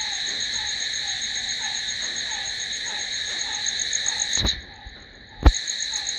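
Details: Night-time cricket chorus of continuous high trilling over a repeated soft lower chirp, abruptly broken by a sharp click, a brief near-silent gap, and a second click before the trilling resumes.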